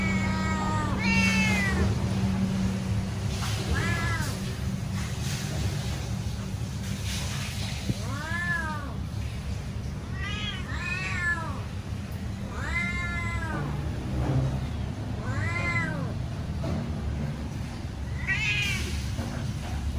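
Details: Cat meowing loudly while waiting to be fed: separate arched meows every two to three seconds, some doubled, rising then dropping in pitch, with a strong low hum and faint background noise throughout.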